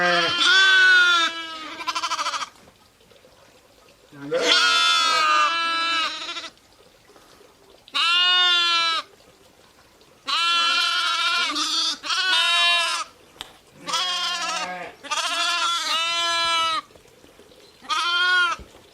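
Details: Ewes and lambs calling repeatedly, roughly sixteen bleats a minute at irregular intervals; long quavering harmonic bleats, some overlapping, mixing deeper and higher voices against a quiet background.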